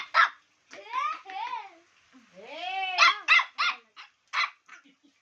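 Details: Chow Chow puppy giving drawn-out whines that rise and fall, then a run of short, sharp yips. A woman speaks Bengali nearby.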